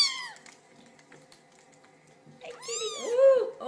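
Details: Kitten meowing to get its owner's attention: a brief high arched meow at the start, then a louder drawn-out meow rising and falling near the end, with a quiet indoor hum between.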